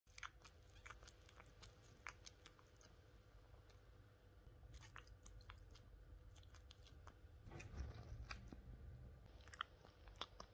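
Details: A male lynx point Siamese cat, asleep, dreaming and twitching, makes soft, wet licking and slurping clicks, quiet and irregular.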